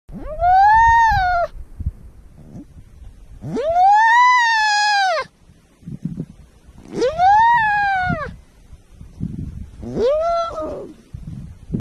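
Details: Baby sea lion calling four times, each a loud, drawn-out, bleating cry rising and then falling in pitch and lasting one to two seconds, with low rumbling background noise between calls.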